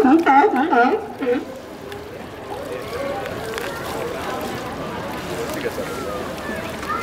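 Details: A quick series of wavering, hoarse barks from sea lions at Santa Cruz Municipal Wharf. Softer background chatter and lapping water follow as the calling fades.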